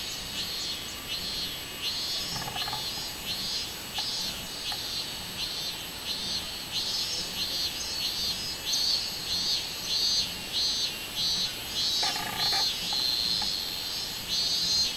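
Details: Robust cicada song from 24 July 2016: loud, high throbbing buzz broken into regular beats that quicken to about two per second, with short clattering bursts near the start and later on.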